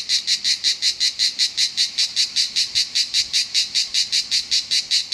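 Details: A cicada in Southern France sings loudly in rapid, evenly spaced buzzy pulses, about five every second.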